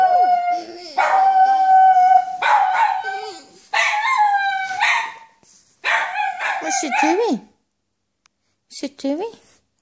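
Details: A male French Bulldog, trying to howl in imitation of another dog, gives a series of wavering, high-pitched howls broken by short pauses.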